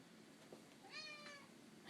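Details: Lily, an overweight pet cat rescued from a dumpster who likes to talk and eat, gives one drawn-out, slightly rising then level meow of about half a second, with a faint short sound just before it and a quiet background.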